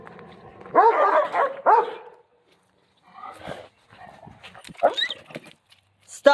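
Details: Central Asian Shepherd Dogs fence fighting, giving two loud, harsh barks early on followed by quieter growls and yelps, while a woman's voice scolds them to stop.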